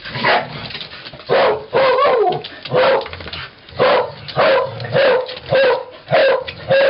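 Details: Welsh corgis, Cardigan and Pembroke breeds, recorded 13 May 2011, give about nine sharp, harmonic barks spaced under a second apart, some rising and falling in pitch, with faint rustling between them.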